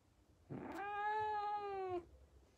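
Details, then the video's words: A pet female cat lets out a single sustained scream of about one and a half seconds, harsh at onset, then a clear, even, harmonic tone sliding a little lower at the end, in an otherwise quiet room. "Mi gatita gritando"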